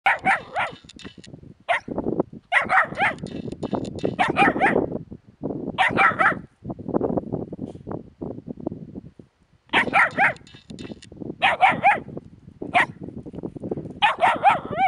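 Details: Puppies beside a hedgehog give bursts of high, yappy barks in quick clusters of three to five, with gaps of rustling and low shuffling noises between the barking spells.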